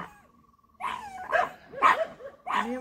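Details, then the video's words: Pug, described as barking aggressively, giving a run of four hoarse, yappy barks spaced roughly half a second apart, some with whiny rising tails, in an otherwise quiet room. "Chutki Pug dog barking and aggressive"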